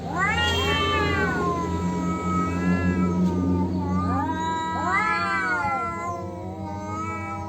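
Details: Male cats squaring off over territory, yowling in long harmonic wails that rise and fall, with two swelling arched cries near the start and middle over a steady low hum.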